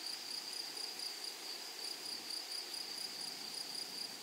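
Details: Grasshoppers in a flowery meadow: a thin, high, steady insect trill with faint regular pulsing, fairly quiet and unbroken throughout.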